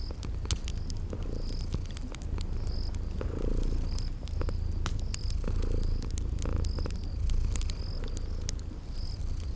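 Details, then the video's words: Sleeping kitties purring beside a crackling fireplace in a cozy spring garden ambience: a steady low rumbling purr swelling and easing in slow cycles, with sharp pops of burning wood and short high chirps repeating roughly every second. "Relax with Cute Sleeping Purring Kitties"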